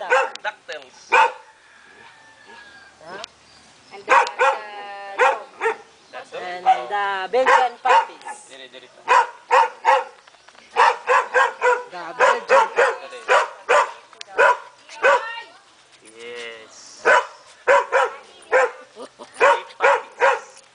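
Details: Belgian Shepherd puppy yapping in repeated short high bursts, often several in quick succession, scattered through the whole stretch with a child's voice talking between and over the barks.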